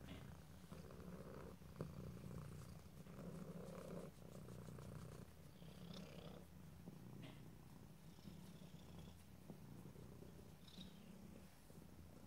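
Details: Cat purring continuously, a low, even rumbling drone with soft breathy swells and a few faint clicks, otherwise quiet surroundings.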